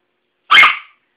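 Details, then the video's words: A Chihuahua barks at a broom during sweeping, a habit that has turned into a game. A single sharp, high, yappy bark, about half a second long, with silence before and after. "Chihuahua Barking at Broom"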